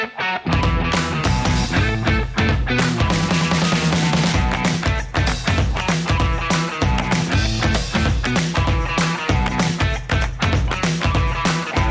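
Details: Loud rock music with driving guitar and drums throughout, with no animal voice heard.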